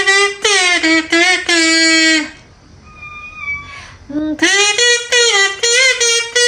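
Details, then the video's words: A pet cat that normally never meows, answering a sound it seems to like with a burst of quick, bright, harmonic meows. A steady two-tone electronic whine follows in a short pause, then another run of rapid meows. "平时从来不叫 听见这个就喵喵喵的"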